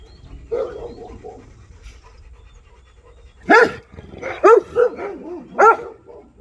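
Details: A Rottweiler confronting an armadillo opens with a low, wavering whine, then breaks into loud, deep barks, singly or in quick pairs about a second apart.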